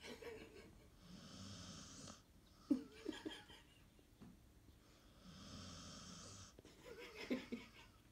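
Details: A female Alaskan Malamute gives two long, wheezy, snore-like groans while still awake, making it known she wants to sleep.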